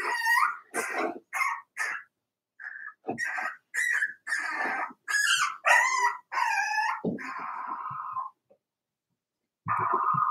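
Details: Daisy's Cavalier King Charles Spaniel puppies, four weeks old, in their indoor pen: a string of high, wavering whimpers and short yips in quick bursts, then a pause and a final drawn-out whine.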